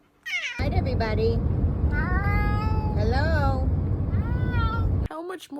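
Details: Talking domestic cat giving drawn-out, wavering meows that bend down in pitch, repeated three or four times over a loud, low, droning background with music and people talking.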